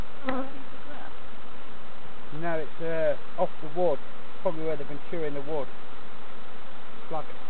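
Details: Honey bees at hives being checked by novice beekeepers at Summerwood Lane Allotments and Community Garden; droning buzz with bursts of bees passing close, their hum swelling and bending in pitch, clustered from two to six seconds.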